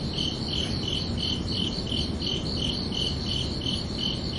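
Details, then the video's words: Crickets chirping at night, a steady series of short, high, ringing pulses about three times a second over a soft low rumble of background noise. "Calming Cricket Sounds for Relaxation"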